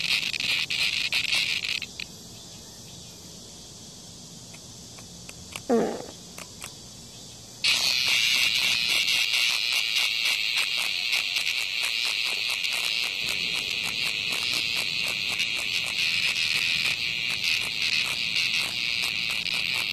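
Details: Cicada attacked by a hornet outside a house. A harsh high buzz sounds briefly, then falls quiet for several seconds apart from a low thump. It then bursts back loudly and continues steadily to the end, laced with rapid clicking.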